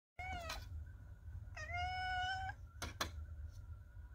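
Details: Chocolate tabby cat indoors meowing loudly to get attention, a habit begun when she woke her napping owner: two clear, harmonic meows, the second long and level, followed by clicking noises and a steady background tone.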